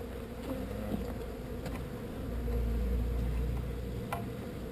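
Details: Swarm of honey bees being relocated from an undesired location, giving a steady, dense buzzing hum over a deep low rumble, with occasional sharp knocks and handling noises.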